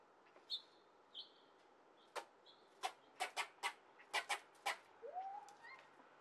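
A squirrel gives sharp, repeated chucking alarm barks, ending in a rising nasal whine, as a cat passes.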